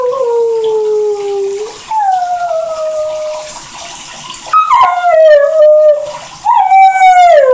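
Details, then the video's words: Airedale Terrier singing in the shower with long, even howls that slowly fall in pitch, then rise into higher wavering notes near the end, all over a constant rush of shower water. "Airedale terrier Singing in the shower"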